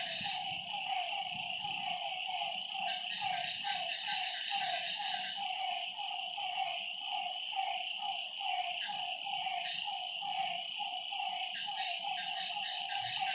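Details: Night frog chorus at a lakeside, with many rapid overlapping croaks in a dense rhythmic train and a continuous shrill buzzing hum above them.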